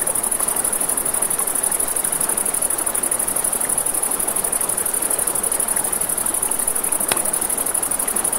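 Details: Crickets at night beside a river, a steady high-pitched, rapidly pulsing trill running through the whole stretch, with crackling campfire pops and a soft rushing river underneath.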